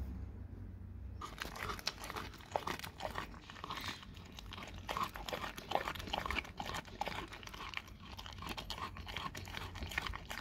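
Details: Raw cow tongue being eaten by a dog: after a second of near quiet, dense crunching and sharp wet clicks run continuously, loud bites popping out every so often above a faint low hum.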